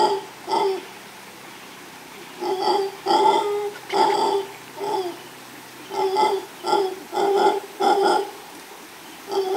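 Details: Male mantled howler monkey howling near a female at Los Tuxtlas Biosphere Reserve, Veracruz, Mexico: deep, guttural, roaring pulses in irregular runs, about a dozen harsh bursts of roughly half a second each, separated by short pauses.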